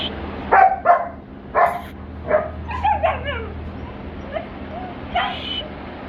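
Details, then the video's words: German Shepherd puppies at a pet shop in Patiala, Punjab, giving short yelping barks and whimpers, several in quick succession then scattered yips, over a steady low hum with brief human voices. "German Shepherd puppy"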